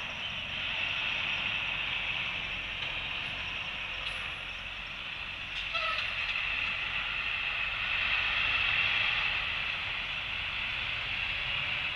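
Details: Steady broadband hiss and rumbling, like wind or distant traffic, with no clear animal calls.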